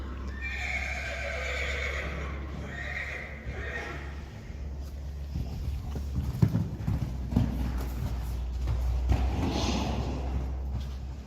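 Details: Friesian horses, a mare and her two-week-old filly, in an indoor arena before going out to the meadow: whinnies over the first four seconds with a quavering, descending pattern, then a steady clatter of hooves on the arena floor and a low hum.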